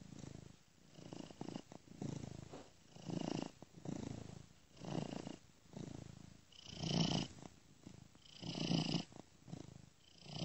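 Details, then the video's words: One domestic cat purring gently in a seamlessly looped recording moved ear to ear; quiet low rumble swells rhythmically with each breath, growing a little louder and breathier toward the end. "Cat Purring Gently Ear to Ear"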